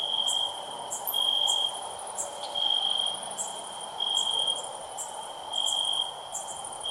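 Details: Shrill, loud cricket chirps swell and fade in rhythmic bursts above a steady high-pitched whine, with quick ticking clicks sprinkled through the upper range.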